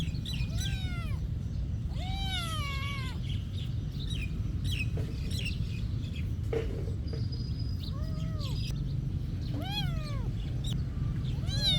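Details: Monastery cat meowing repeatedly: a string of short, bowed meows spaced a few seconds apart, some higher and thinner, over a constant low-pitched background hum.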